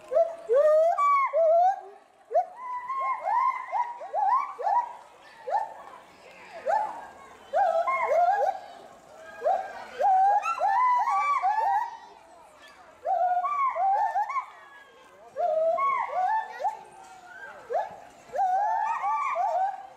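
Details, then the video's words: Agile gibbon pair, male and female, in a zoo enclosure at Bristol, UK, loudly agitated by something in bulrushes below; rapid series of rising whooping hoots, overlapping from both animals, in bursts separated by brief pauses. "GARRULOUS GIBBONS ~ Agile Gibbons (Hylobates agilis)"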